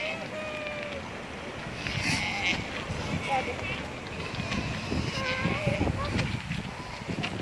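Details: Galapagos sea lions in the Galapagos Islands, Ecuador, giving wavering, bleat-like calls that rise and fall, with a long call near the start and another around the fifth second, over constant background murmur and people talking.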